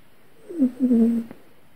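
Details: A pet cat in the grip of a bad dream gives a single drawn-out moaning mew, wavering and gradually sinking in pitch for about a second, ending with a faint click in a quiet room.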